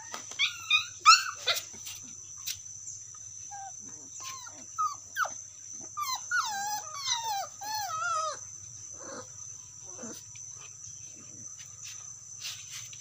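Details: Dog calling its friend: scattered high whines and short yelps, some rising and falling in pitch, coming in uneven bursts, quieter in the second half, over a steady faint high electrical tone.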